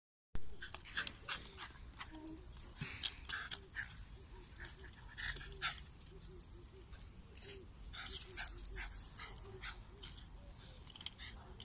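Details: Two South African Jack Russell Terriers kept together give short, repeated low grumbling growls in quick bursts, mixed with sharp clicking and scuffling noises and a faint human voice.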